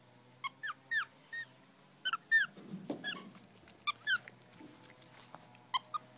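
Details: Nine-year-old male black tufted capuchin at Tasmania Zoo, searching a keeper's pockets for hidden treats; short high squeaky chirps and warbled whistles in small bursts of two or three, with rustling and a woman speaking quietly.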